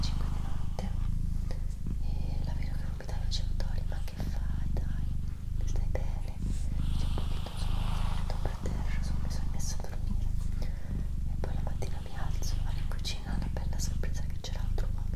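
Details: Continuous low, throbbing purr from Doroti, a female house cat, sustained for the whole stretch with small breath-like dips, while quiet whispered human voice and occasional soft clicks sit above it.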